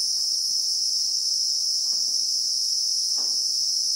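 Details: Christmas beetles, the local name for cicadas, buzzing in South African acacia bushveld in real time: one shrill, unwavering drone with two soft low rustles underneath.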